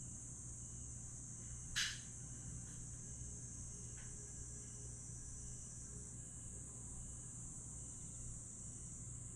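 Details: An unbroken high-pitched buzzing trill of grass insects fills a Jeju night at Aewol in July 2022, steady throughout over a low background hum, broken once by a sharp click near the start.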